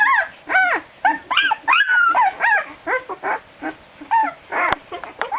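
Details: Twelve-day-old Barbet puppies squealing as they search for their mother, a rapid string of high, arched whines about twice a second, one longer drawn-out wail, and a sharp knock near the end.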